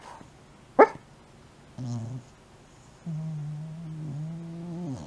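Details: Shiba Inu dog deep in sleep, snoring and sleep-talking: a sharp click, then a brief low moan and a longer drawn-out groaning whine, rich in harmonics, wavering and dropping off at the end.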